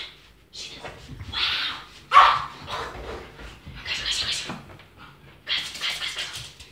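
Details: Brussels Griffon dog playing indoors with a deflating helium balloon; short yelps and whimpering barks come in bursts amid rubbing squeaks from the balloon and some speech.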